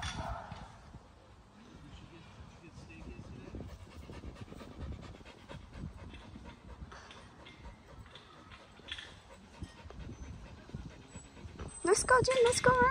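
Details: Samoyed panting in quick, regular breaths, about four per second. A short rising whine breaks in near the end, over faint background noise.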